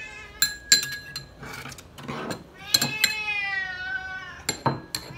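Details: Srintil the pet cat cries for food amid clattering dishes and cutlery; one long, bright, wavering meow stands out between sharp metallic knocks.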